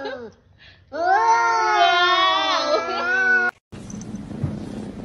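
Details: Pet cat letting out one long, sustained meow that rises slightly and holds steady for over two seconds before cutting off abruptly, followed by a burst of background noise.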